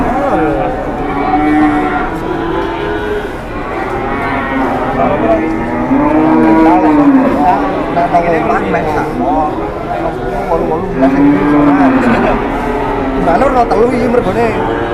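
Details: Jumbo-sized cattle on a morning outing give long sustained moos, several arching upward and falling away, repeated amid a continuous murmur of a crowd and voices.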